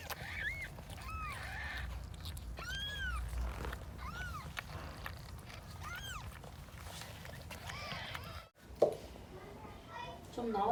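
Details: High, arching mews repeat every second or so during a home birth in a box, where odd-eyed Persian angora cat Huimang has just delivered a second kitten; soft voices and handling noise sit underneath, a brief thump near the end.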